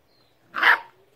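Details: A lone sharp yelp from Smudge, a 9-week-old female beagle puppy barking at a basketball she is playing with for the first time; one brief, bright bark against a quiet background.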